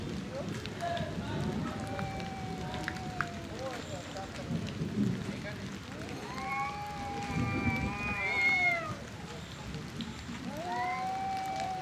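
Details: Two male cats fighting over territory and breeding, angry drawn-out yowls rising and falling, some with bright overtones, alternating between the animals, over a constant rain-like hiss and low rumbling background.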